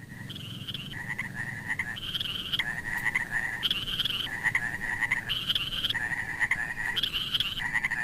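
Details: Frogs in a pond call in a steady chorus of high, rattling notes that switch back and forth between two pitches.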